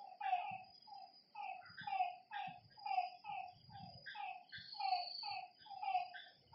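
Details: Frogs by a lake after dark give short nasal notes that dip slightly in pitch, several callers overlapping in pulsing waves, while insects keep up a thin high trill.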